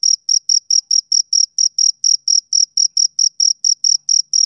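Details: Male cricket giving even, high-pitched chirps, around eighteen crisp pulses in quick succession with no pauses, against complete silence.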